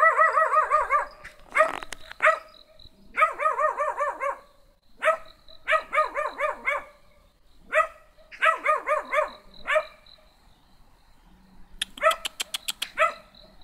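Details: Small black dog barking while someone tries to talk to it; bursts of short harmonic yelping barks in quick runs of three to five, separated by pauses, with a sharp clatter near the end and faint Spanish speech around.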